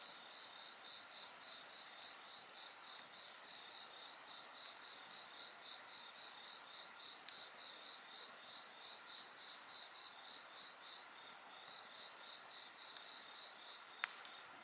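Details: Insects singing together beside a crackling bonfire: a steady high trill plus a pulsed chirping band repeated about three times per second, with sharp fire pops and snaps over the continuous chorus.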